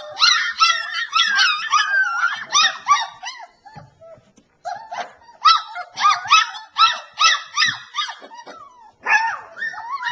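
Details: Several three-week-old Alaskan Malamute pups from southeast Iowa whine and yelp together almost nonstop, shrill wavering cries in repeated loud bursts, with a short quieter gap near the middle before the chorus resumes.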